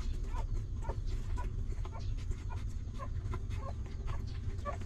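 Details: Hungry newborn puppies of a stray mother dog nursing from her, giving short, thin squeaky whimpers about twice a second over a steady low rumbling background.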